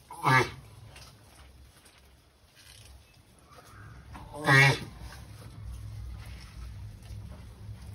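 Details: Sulcata tortoise while mating, kept as a pet: two loud, harsh, harmonic grunting bursts about four seconds apart, each short and strained, with low steady background hum between them.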